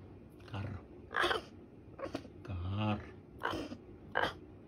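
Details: Gosha the caracal, prompted to say "kerr", answers with short, harsh, breathy rasping bursts, about five over several seconds, each a quick noisy snarl-like puff, while a human voice speaks between them in a small indoor room.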